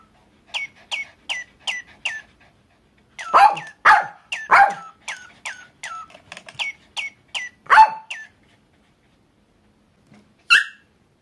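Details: A Papillon dog answers a chirping toy bird, seeming to sing along: a row of short, high toy tweets, then a cluster of four rough barks, more tweets, one further bark and a final sharp yip.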